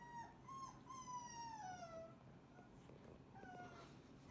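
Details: Cane Corso puppies in a heap after eating breakfast: a long, high whine gliding down in pitch, followed by fainter short whimpers from other pups.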